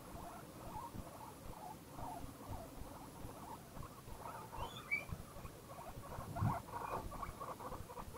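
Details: Guinea pig expressing happiness: quiet chuttering murmurs, then a sharp rising squeak midway and a few louder thumps near the end, with low hiss throughout.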